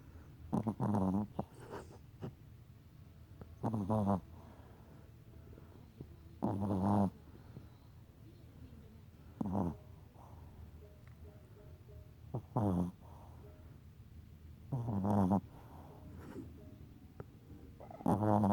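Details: Sleeping Chihuahua, a pet dog, snoring steadily: rough, vibrating inhalation snores repeating roughly every three seconds, about seven in total, some with a short extra snort, in a quiet indoor room.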